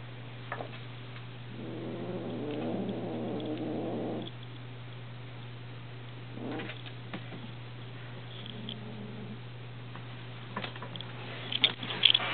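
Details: Moxie, a 2.5-month-old pet kitten reacting strongly to catnip, growls when people try to take it away. A low, rough growl runs about two and a half seconds, with a shorter one later. Clicks and handling noises sit over a steady indoor hum.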